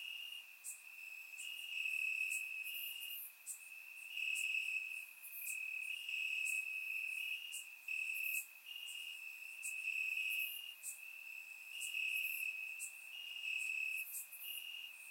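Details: Crickets chirping in grass on a warm summer night in Bulgaria, captured with a surround microphone: a steady high trill runs continuously, swelling into louder pulses roughly every second and a half, with fainter higher chirps layered above.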